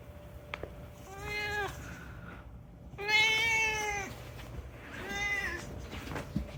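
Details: Talkative rescued house cat meowing indoors to make a request: three clear, harmonic meows about two seconds apart, the middle one longest and loudest, against a quiet room hum.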